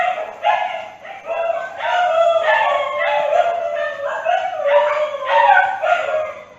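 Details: Dog howls mixed with short yips, several voices overlapping in a steady wavering chorus of mid-pitched tones that dip and rise without pause.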